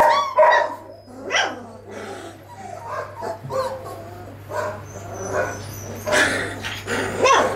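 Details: Several 22-day-old puppies in one litter giving scattered yips, whimpers and short squeaky barks that overlap irregularly, with a constant low hum behind them.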